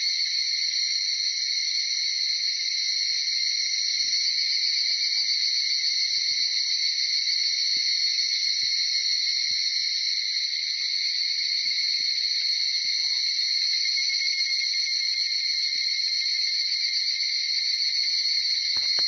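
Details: Early-morning higurashi cicada chorus (Tanna japonensis) near Uda, Nara, Japan, recorded from about 4:30 to after 5 a.m.: continuous, piercing, evenly sustained high-pitched ringing from many cicadas with no pauses.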